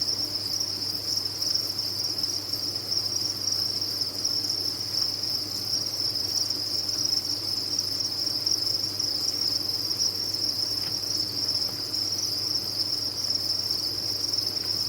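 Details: Captive crickets on a farm keep up a relentless, uniform high trill, the massed chirps blending into one bright band of sound above a faint hum.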